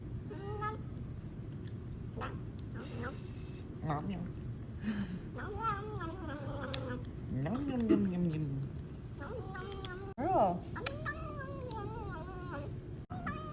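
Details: Domestic female cat making really weird noises indoors: a string of short wavering meows and chirps, some rising and falling, with a longer drawn-out cry mid-way and people talking over it.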